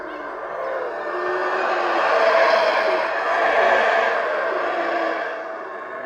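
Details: At the Caracol Mayan ruins in Belize, a distant chorus of howler monkeys rolls through as a hoarse, wind-like roar that builds to a peak and slowly ebbs, while loud birds call faintly over the top.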